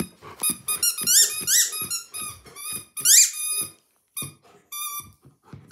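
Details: German Shepherd dog making noise: a run of high, squeaky whines with rising, ringing tones, some short and clipped like yelps, in bursts with brief pauses over about five seconds.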